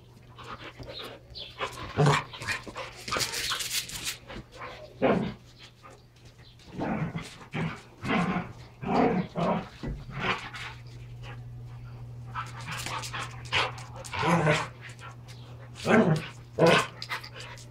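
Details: Pair of Standard Poodles, one normally calm, in an all-out play wrestle over toys: a run of short broadband growls, huffs and snarls in uneven bursts with brief pauses, plus a constant low background hum.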